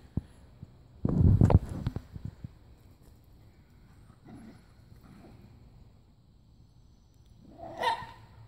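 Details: Two Jack Russell Terriers, Timmy and Oliver, scuffle in a backyard. A loud, rough burst of growling and snapping barks lasts about a second near the start, then the dogs go quiet, ending with one sharper yelp.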